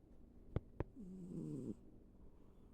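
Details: Ivy, a sleeping pet cat, gives one drawn-out rasping snore lasting under a second, preceded by two sharp clicks, in a quiet indoor room.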